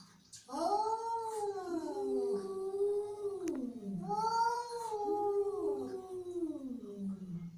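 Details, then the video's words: Angry cat yowling in two long, wavering, moaning cries. Each rises slightly, then sags lower in pitch over a few seconds, in a quiet indoor-sounding setting. "Angry Cat Sound"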